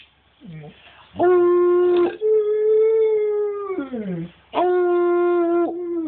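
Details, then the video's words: Howling husky-wolf hybrid, a pet that sings as its owner encourages it with spoken prompts. A brief low yelp leads into steady sustained howls. The middle howl drops in pitch at its end, and another flat howl follows. "Our husky/wolf hybrid "Cash" singing (howling)"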